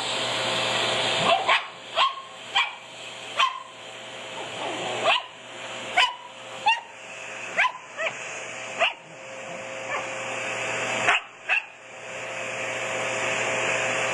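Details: Pet Shih Tzu Sophie, thrilled by a vacuum cleaner, lets out a dozen sharp, high barks spaced about a second apart, some in quick pairs. The vacuum's constant whooshing roar runs underneath throughout.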